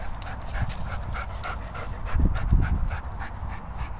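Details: German Shepherd during a training session, panting in quick rough low breaths, about three per second, with louder bursts near the middle; faint outdoor background.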